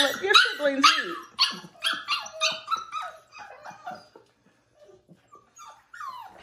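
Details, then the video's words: Mouthy five-week-old foster puppy Bubbles, upset about waiting inside while siblings eat: a burst of quick squealing yips and whines that thins into faint, sparse sounds, with a woman's voice near the end. "5 week old Puppy howl"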